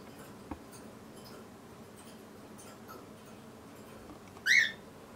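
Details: A single brief, high, arched mew comes from a litter of tiny kittens named Daisy, Darcy and Diesel, whose eyes opened for the first time that day. A soft tap sounds earlier in an otherwise quiet room.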